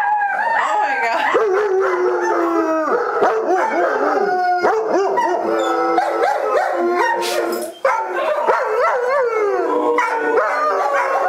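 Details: The Oaktown Pack, a group of dogs including Travis, howls together in long overlapping wavering tones, several voices rising and falling at once, with a brief break near the eighth second before the chorus resumes.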